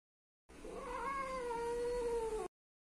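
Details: Pet Siamese cat giving one long, wavering meow of about two seconds, a steady drawn-out tone that sags slightly toward its end, indoors with no other sounds.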